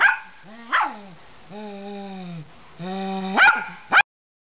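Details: Miniature Pinscher prompted to bark: a rising yelp, two long, even, droning tones, then two sharp, high barks close together at the end before sudden silence.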